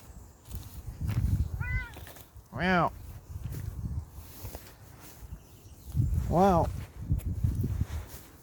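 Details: Young Bengal cat out on an outdoor walk mews three times, each call a rising-then-falling cry, the middle one loudest; a person talks softly and footsteps crunch on the ground.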